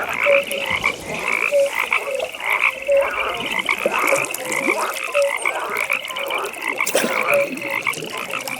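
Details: Pond frogs at night, a busy chorus of rattling high trills and repeated short piping notes roughly every second, with occasional lower croaks and faint clicks in the background.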